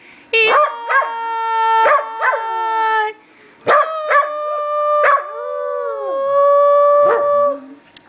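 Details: A stud dog sings along as a person sings Old McDonald Had a Farm: clear, sustained howls held steady, then sliding and wavering, in several long phrases with brief sharp breaks between them.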